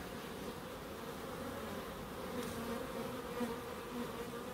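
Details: Many bees humming in a small wildlife garden in Crookes, a steady low buzz with brief higher tonal whines as single bees fly past near the microphone.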